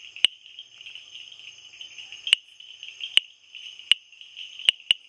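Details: Sharp typewriter-like taps from a Bombay bush frog, six clicks at uneven gaps, the last two close together, while a constant high-pitched whine continues behind.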